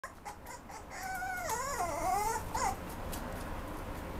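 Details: Mame Shiba dog at a Japanese pet shop that rehomes dogs, giving one drawn-out whimpering whine that wavers up and down with a bright harmonic edge, then a short rising yelp near the end, over quiet room hiss.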